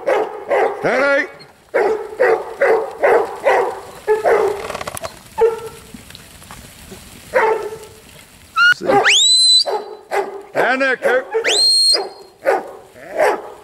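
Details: Huntaway barking in bursts of several deep barks with short pauses between them. Loud rising whistles sound in the second half, and some yelping barks are mixed in.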